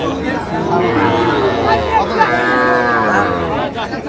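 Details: Young cattle calves, small bulls and heifers around two and a half to three months old, at a busy market in Pabna, Bangladesh; a drawn-out, harmonic moo rises and falls midway, with a steady murmur of people talking around the animals.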